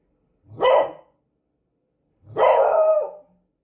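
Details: Beagle dog barking in a quiet setting: one short sharp bark, then after a pause of about a second and a half a longer, drawn-out baying bark with rich harmonics.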